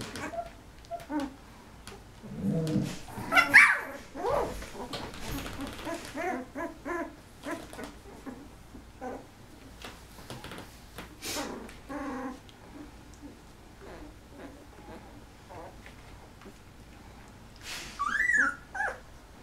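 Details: Eleven Golden Retriever puppies aged 13 days, eyes just opening, produce sporadic thin squeaks and whines, a louder burst early on, quieter patches, then a final rising squeal near the end.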